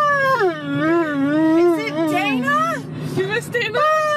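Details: Dog 'talking' with a long, wavering, whine-like howl that rises and falls in pitch like speech for nearly three seconds, then shorter yelps, over a steady low engine-like rumble.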